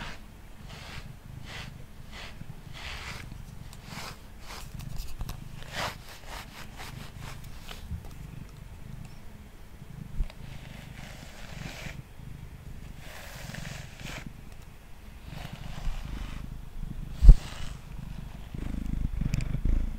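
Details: A quiet, deep purr from Mango, a male house cat being brushed on a table. At first there are quick brush strokes, then the strokes become slower and more spaced out, with the low hum underneath.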